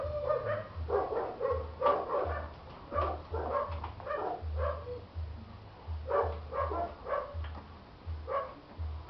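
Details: Chow chow dogs giving a run of quick, irregular barks, several a second at times, over a constant low background hum.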